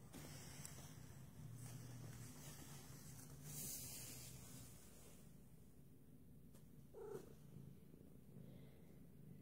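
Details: Flamepoint Siamese cat Angel, female, indoors while looking out the window at birds, gives a quiet, steady low purring rumble throughout, with a short higher-pitched sound near the seventh second and faint room noise.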